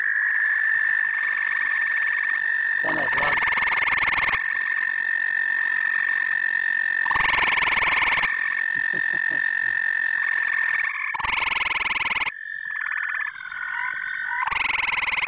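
Gray tree frogs give a steady, high musical trill, with louder rattling bursts breaking in.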